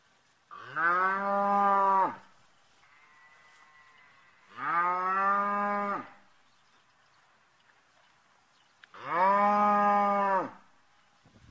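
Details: Red Brangus calf mooing: three drawn-out, rich harmonic bawls of about one and a half seconds each, spaced roughly four seconds apart, steady in pitch with a slight fall at the end, in otherwise quiet surroundings.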